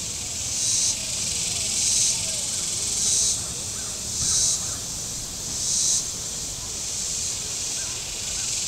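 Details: On a very warm Saturday at Table Rock Lake, southern Missouri, shoreline cicadas pulse in loud hissing surges about once every second and a quarter, rising over a constant high buzzing chorus, with faint chirps in the background.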